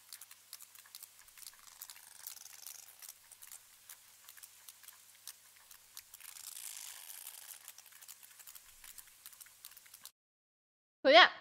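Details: Several socializing sperm whales (Physeter macrocephalus) creak back and forth at each other, rapid click trains crackling, some closer and some farther away.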